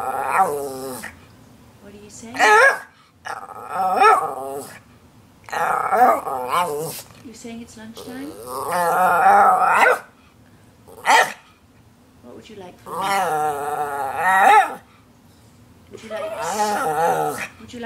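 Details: Hungry pet Norwich Terrier, the red one of two, 'talking' to demand lunch: long wobbling, warbling growl-moans rising and falling in bursts every few seconds, answering a person's coaxing questions between outbursts.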